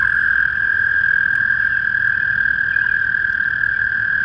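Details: Toads calling together at a small pond in spring, their overlapping trills forming a constant high, buzzing tone that neither rises nor stops, with soft low background noise beneath.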